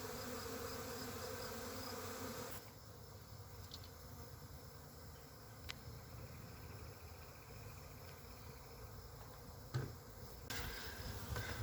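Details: A honey bee swarm from a kept hive settling down after swarming: loud, thick droning buzz at first, then dropping to a quieter, softer hum, with a few brief clicks and knocks.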